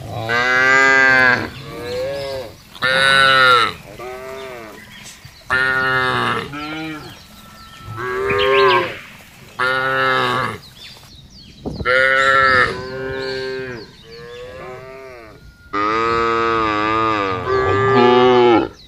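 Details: Large herd of cattle driven calmly over a vast grassland: a long series of loud, harmonic moos, roughly every two to three seconds, several animals calling in turn, some calls rising then falling.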